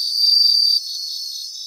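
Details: A brief grassland recording of bell crickets: a bright, loud bell-like ring lasting under a second cuts off sharply, leaving a softer background of pulsing insect trills from other singers.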